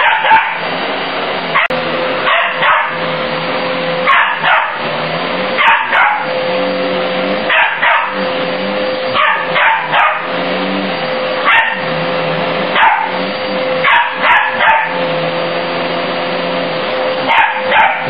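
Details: Border Terrier pup that dislikes the vacuum cleaner, barking at it indoors: sharp barks in bursts of two or three, repeated throughout, over the loud, steady hum of a running vacuum cleaner.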